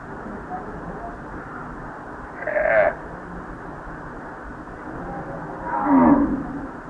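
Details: Hungry baby domestic calf mooing: two short, strained bawls, the first near two and a half seconds and the second, louder and longer, near six seconds, over a steady low hiss.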